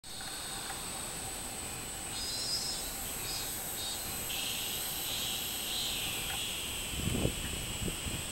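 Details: Robust cicada (minminzemi) singing on 24 July 2016. A shrill, steady high-pitched drone runs throughout, and a wavering mid-high buzzing band swells and fades through the middle. A low rumble, perhaps traffic, rises near the end.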